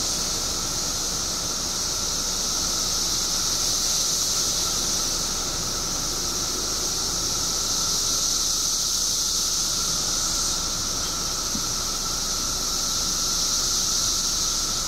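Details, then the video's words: Mass chorus of periodical cicadas in Illinois, emerging by the billions after 17 years underground: an unbroken, shrill hissing wall of sound with a steady lower whine beneath, swelling slightly and holding constant throughout. "Billions of Periodical Cicadas Emerge After 17 Years Underground Cicadas Making Noise"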